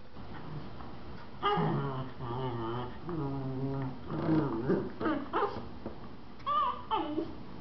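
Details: Mother and four-month-old puppy Miniature Schnauzers at play in a living room, giving drawn-out harmonic growling grumbles in several bursts, then sharper rising yips near the end, over light scuffling.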